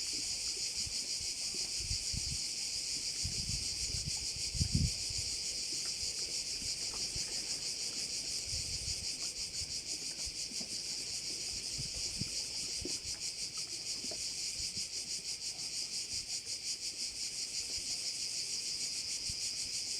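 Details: High, constant cricket buzzing with a fast pulse over a bay on Korčula, accompanied by low thumps and rustling, including a brief bump near the fifth second.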